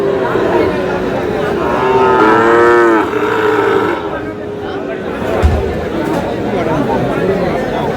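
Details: Sahiwal calves at a Bangladeshi cattle market; one clear drawn-out moo around the middle, followed by fainter lowing, under heavy crowd chatter and a brief thump.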